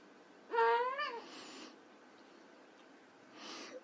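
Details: Playing white Persian kittens produce a single short meow that bends upward and then falls away, followed by a soft breathy rustle and a faint hiss-like noise near the end.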